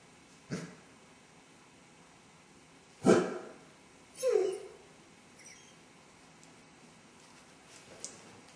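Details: Basset hound left alone at home, showing separation anxiety, filmed by a camera while its owner was out; it howled and whined for an hour. Sharp isolated barks, then a falling whine, in a quiet room.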